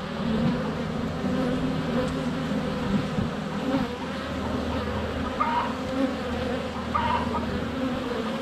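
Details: Steady, thick buzzing of honey bees swarming the hive entrance on a sunny February day, filmed with a GoPro under a foot from the hive; two brief bird chirps rise above the drone near the end.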